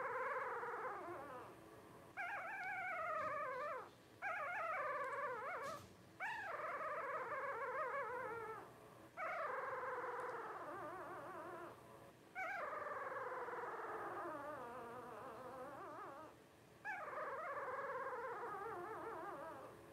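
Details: Litter of five 12-day-old Blenheim Cavalier King Charles Spaniel puppies, born New Year 2023 to Paris and Spike, whining in long wavering harmonic cries that rise and fall, several overlapping voices with brief pauses between bursts.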